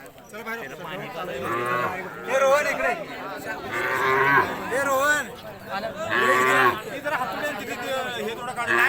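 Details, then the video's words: Khillar cows at a cattle show exhibition: several low, drawn-out moos, each about a second long, rise above a busy crowd with loud announcer speech, chatter and music playing. "खिल्लार गाईचे प्रदर्शन"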